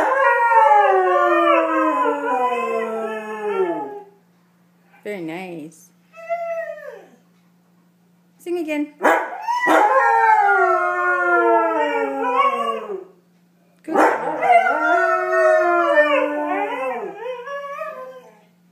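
A Siberian husky howls in long, wavering, talkative notes that slide up and then drift down.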